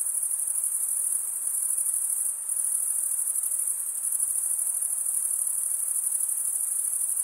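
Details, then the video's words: Steady shrill chorus of stridulating crickets, broken by one brief dip near the middle before the high trill resumes unchanged. "Most relaxing cricket sound for 8 hours"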